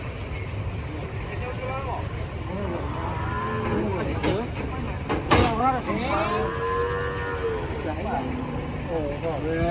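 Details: Thin cattle coming down off a truck, one unable to stand; several drawn-out, wavering moos with rich harmonics, some bending up and down, over engine noise, a loud clank and human voices.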